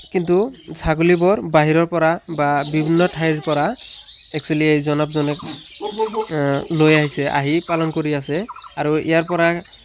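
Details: Goats at M. R. Goat farm in Abhayapuri, Bongaigaon, Assam, giving a steady run of quavering, nasal bleats, several overlapping voices in long wavering bursts with only brief pauses.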